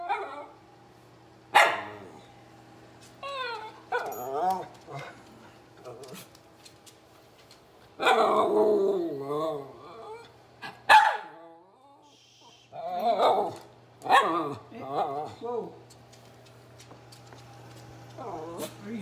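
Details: Miniature red poodle Teddy Bungoo, hungry and demanding dinner, lets out a long run of loud, uneven barks and wobbling whines in bursts, some yelps sliding in pitch, over a steady low indoor hum.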